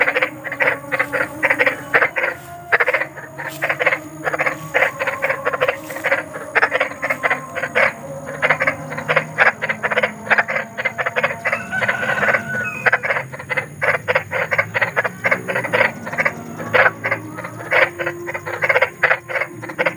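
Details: Chorus of big frogs in the wild, presented as a spooky night-time lullaby for restless children; continuous rapid croaking pulses layered from several callers over twenty seconds, with a faint constant high whine behind.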